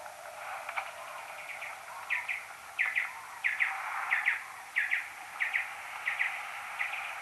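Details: Common noctule social calls recorded next to a maternity roost with an EchoMeter Touch 2 pro, slowed ten times: short paired chirping notes repeated roughly every half second to second over a steady hiss.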